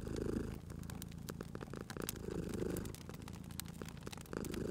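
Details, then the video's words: Cat asleep by a fireplace, purring softly: a deep, buzzing rumble that rises in slow surges roughly every two seconds, with wood fire crackling and snapping throughout. "Cute Purring Cat at a Crackling Fireplace"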